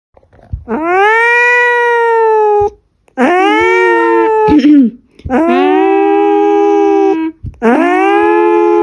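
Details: Pet cat howling loudly indoors, acting like an alarm: four long, steady, drawn-out howls of about two seconds each, each starting with an upward swoop, separated by brief silences.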